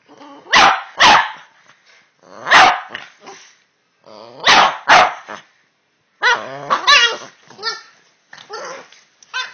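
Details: Pair of Boston Terriers talking to each other, with loud barks in twos and threes separated by short pauses and mixed with throaty grumbling and whining vocal noises throughout.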